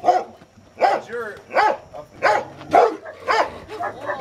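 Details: A Rottweiler in protection training, biting a sleeve for the first time, gives deep, forceful barks repeated about every three-quarters of a second.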